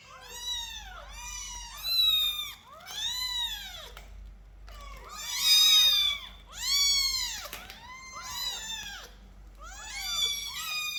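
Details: Several kittens held in a cage during a cat-room cleaning meow nonstop. About nine shrill, arched meows overlap and follow one another closely, growing louder around the middle.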